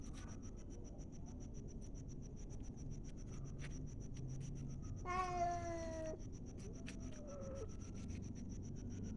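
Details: A cat gives one clear, drawn-out meow that slides slightly downward, followed by a fainter, shorter meow, over a steady low rumble and fast, regular ticking throughout.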